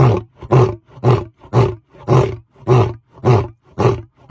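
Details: A lion at very close range gives deep, chesty grunting roars, repeated about twice a second in a steady series.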